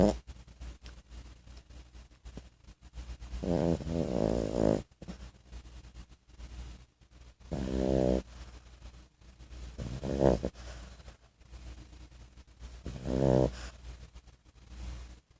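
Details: French Bulldog puppy named Miso, 14 weeks old, asleep indoors, snoring in slow rhythmic rasping bursts every two to three seconds, each a low throaty rattle rising into a nasal buzz, with quieter breathing between.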